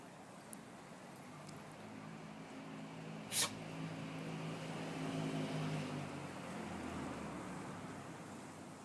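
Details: Cory, a Corgi, sneezing on 24 December 2013: one sharp, explosive, hissing sneeze about a third of the way through, otherwise quiet apart from a low steady hum.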